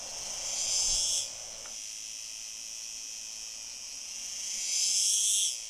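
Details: A male cicada, species unknown, sings a steady, high, hissing buzz swelling into louder bursts twice beside a female, possibly courtship, 9 July 2022, Fondón, Andalucía, Spain; cicada.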